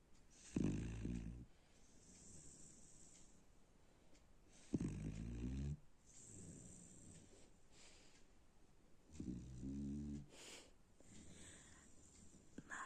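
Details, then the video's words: Dog snoring while asleep: deep, rattling snores about every four seconds, each a rough low buzz lasting roughly a second, with soft hissing breaths between and steady background hiss. "A snoring Dog"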